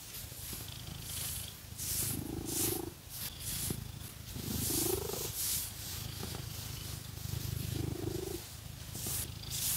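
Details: House cat purring contentedly under a scratching massage with fake nails; deep steady rumble with three clear breath-linked swells, accompanied by soft rhythmic scratching noise.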